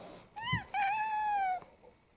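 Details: Domestic cat, one of six mixed-breed pet cats kept indoors, in the morning, September 2022. A two-part meow: a short arched note, then a longer, steady, slightly falling mew with rich harmonics, in a quiet room.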